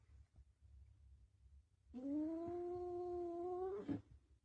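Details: Domestic cat indoors giving a single drawn-out meow of about two seconds, steady and slightly rising in pitch with rich harmonics, ending in a brief rougher break; quiet low background rumble before it.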